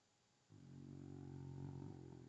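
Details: Kyzer, a sleeping rescue dog, snores indoors with a low, steady, rumbling breath that starts abruptly and holds for nearly two seconds, rich in buzzy harmonics; a quiet room otherwise.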